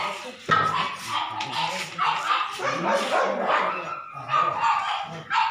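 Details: Several Labrador Retriever puppies at a pet shop in Delhi NCR, India, give high, squeaky whines and short yips. The calls overlap in bursts through the clip, with a steady murmur of background noise beneath them.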